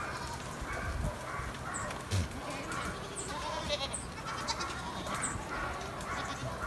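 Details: Several stray goats above Sasa give repeated quavering, nasal bleats over a constant low rumble, likely wind, with faint high chirps and possibly a voice in the background.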